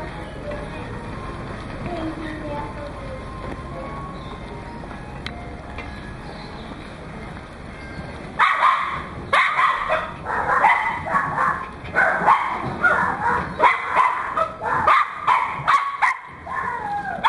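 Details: Goro, a Pembroke Welsh Corgi puppy from Fukushima, recorded 31 May 2011: a quiet start, then from about halfway a run of high, sharp yapping barks in quick irregular bursts, with a little human speech mixed in.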